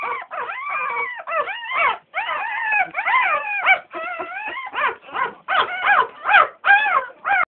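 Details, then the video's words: American Staffordshire Terrier puppies, a litter of ten, crying loudly in nearly continuous arched whines and yelps, each rising then falling, packed closely at roughly two to three per second. "Amerikai Staffordshire Terrier"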